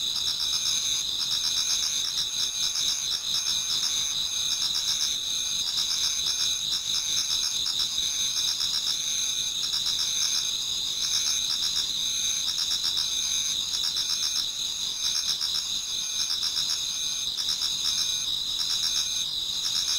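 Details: Several insects sing through an autumn pre-dawn in a Japanese garden, a thick, unbroken high-pitched chorus of shrill steady tones and fast trilling chirps with no other sounds.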